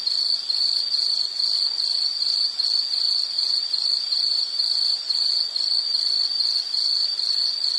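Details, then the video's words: Shrill insect chirping in a natural setting: a high, steady tone broken into quick regular pulses, repeating evenly for the whole stretch, with a soft hiss beneath. "Nature Sound of nature sounds scenery L · insect"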